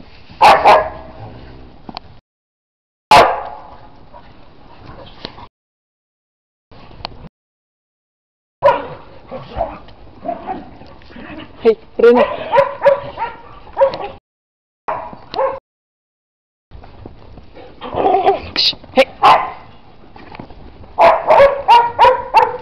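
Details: Dog playing in snow, barking repeatedly in uneven bursts of short yips and barks, some in quick clusters, with silent gaps between and people's voices calling out at times.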